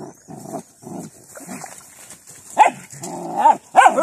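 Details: Puppies at play with their father dog: short noisy growling bursts, then sharper yelping yips with bent pitch in the last second and a half.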